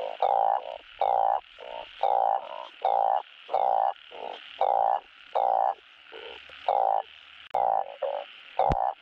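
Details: Asian painted frogs giving breeding calls used on a Thai frog farm to encourage spawning; deep, droning croaks in even half-second bursts, repeated about every second by more than one frog, ending with a sharp click.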